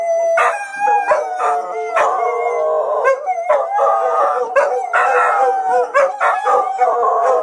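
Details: Tobin, Horace and Patton, three dogs, howl in chorus at emergency sirens being tested; dense overlapping howls with quavering pitch and brief yips breaking through.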